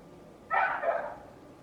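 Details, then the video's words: Single neighbour's dog bark, a short, mid-pitched yelp that falls slightly in pitch, heard over quiet background hum. "Neighbor's annoying dog noise"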